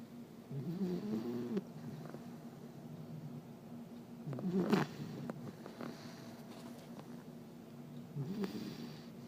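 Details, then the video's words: Sleeping puppy snoring loudly indoors, long rasping low snores drawn out about every four seconds, each breath a rough rattling rumble with quieter wheezing between. "Puppy Snoring Like A Big Dog"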